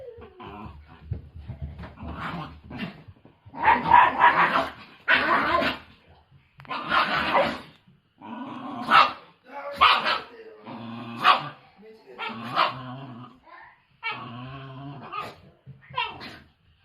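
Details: An angry white Shiba Inu, living in the mountains, throws a furious fit that a sneeze calms. Irregular harsh barks, growling yelps and whiny cries come in loud bursts about every second, with short quiet gaps between.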